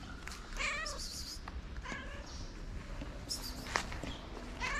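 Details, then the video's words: Male street cat in his favorite place, waiting for love and food, gives a few short, soft meows spaced a second or more apart, faint against a noisy background with clicks. "A cute cat with a cute meow in his favorite place waiting for love and food."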